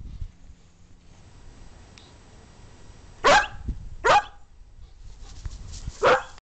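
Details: Playing dog lets out three loud, clipped barks after a quiet start, the first two close together and the third after a longer gap, over a low background hum.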